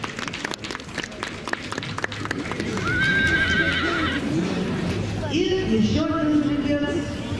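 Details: Tinker stallion, British-born, in the IPPOsphere 2023 breed parade; a whinny rises around midway, followed by a lower wavering neigh near the end, over hoof clatter, crowd and a speaker's voice.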